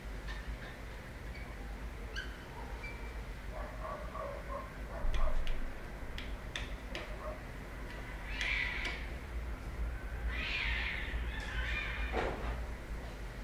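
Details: Cat giving a few brief, strained meows around the middle and end, each a short harmonic burst, over a background of scattered clicks, taps and low steady hum.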